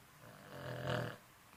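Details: An old Boston Terrier snores, one low rattling breath swelling and fading over about a second.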